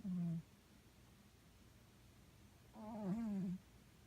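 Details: A sleeping house cat snores so loudly the television can't be heard; a short rasping snore is followed after a pause by a longer, wavering, nasal one.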